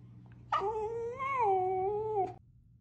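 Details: Sapphie, a Pomsky dog, during play-fighting: one drawn-out, wavering whine-howl of about two seconds, tonal and slightly rising then falling, over a steady low hum in the background.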